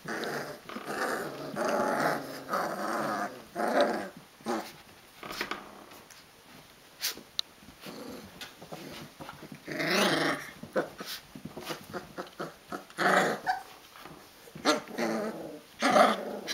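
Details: Wrestling Rhodesian Ridgeback puppies at 22 days old, indoors; repeated short growling squeals and yips throughout, bursts rising and falling in rough bouts every second or two, with scrabbling between.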